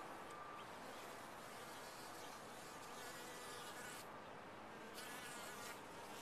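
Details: Honey bees massed in a top-bar hive produce an intense, unbroken buzz with a bright, hissing upper edge, steady over several seconds.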